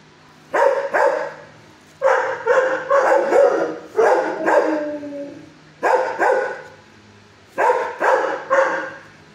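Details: Six-year-old shelter dog in a kennel barks at a person. The barks come in bursts of two to four loud, raspy calls, one ending in a sliding moan, with short gaps between bursts.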